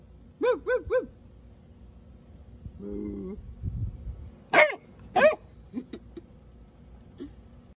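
A Basset Hound puppy gives high, arched yips and a few sharper barks, with a person's voice in between.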